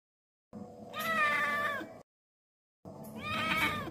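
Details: A kitten meowing while talking to a crow: two long, drawn-out, strongly harmonic meows, each about one and a half seconds, separated by a short silence, the second rising then falling in pitch. No crow is audible.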